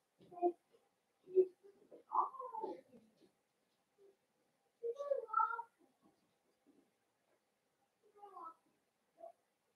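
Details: In a home puppy pen, blenheim Cavalier King Charles Spaniel puppies from a New Year's litter of five give short, wavering whines and squeaks in scattered bursts, with quiet pauses between them.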